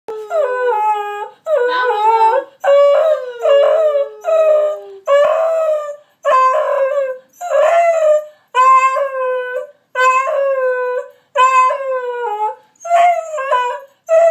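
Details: Two dogs, Moe and Slim, howling and yelping as a learned trick. Drawn-out harmonic howls bend downward and repeat about every second or so, with brief yelps breaking into the series and short silences between them.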